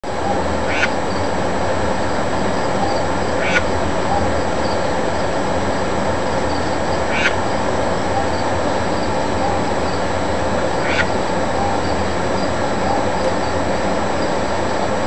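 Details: A pet albino red-eyed tree frog, calling in the dark for the first time its owner heard, gives short, dry clicking chucks every few seconds over a steady low rumble.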